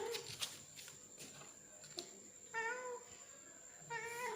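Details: Male domestic cat pressing to mate with a female: two drawn-out wavering yowls with rich harmonics in the second half, preceded by short clicks and knocks in a small indoor space.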